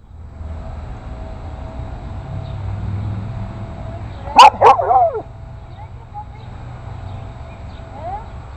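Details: An 8-week-old Boston Terrier puppy in a neighborhood, confronting bigger dogs, gives two quick high yappy barks midway through. A steady low hum runs underneath.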